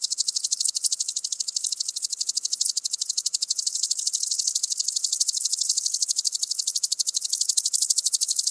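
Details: Common green grasshopper (Omocestus viridulus) song from Tschenn, Italy, on 19 August 2019. A loud, sustained, rapid, high-pitched rattling of evenly spaced dry pulses, about two per second in groups, that buzzes on steadily throughout.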